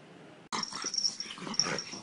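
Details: Pug, shown in a funny pet compilation, breaks in after half a second of near silence with loud raspy wheezing and snorting breaths, a hissy airy texture running through each snuffle, indoors.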